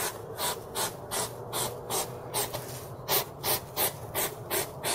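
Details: Hedgehog in the wild giving a rhythmic run of breathy, rasping huffs, about three per second, each a short noisy burst, with a brief gap before the series picks up again.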